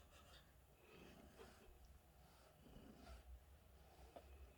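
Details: A contented, happy cat purring indoors: a soft, steady low rumble with gentle swells about every second and a half as it breathes in and out, plus faint breathy hiss above.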